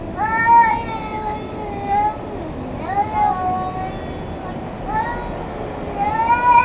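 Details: Domestic cat wailing in a near-daily confrontation with another cat; drawn-out, plaintive harmonic yowls, three or four long rising-and-falling wails roughly every one to two seconds, over a steady background hiss.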